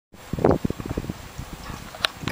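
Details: Whippet named Bandido "talking" to tell its owners it is time to go to the dog park: a short harmonic yowl, then a series of low pulsing grumbles, with a person speaking briefly at the end.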